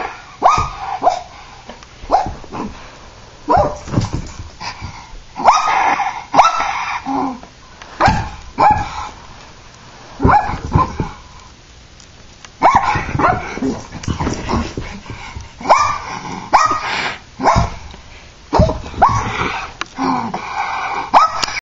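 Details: Terrier throwing a tantrum: a long stretch of repeated yappy barks and growly yelps in irregular bursts, some rising whines between them, sound fairly loud and close throughout.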